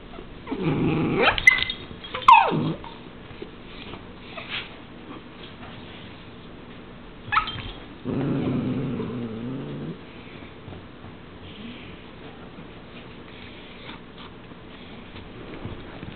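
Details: Male and female Dachshunds in a mating dance: rough growling and whining bursts during courtship, with quiet pauses between.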